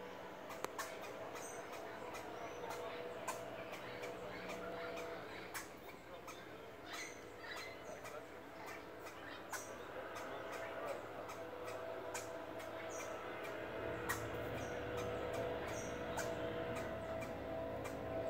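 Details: A squirrel barks at a person in its tree, giving sharp, chucking barks in quick runs, about four a second, over a steady low background hum.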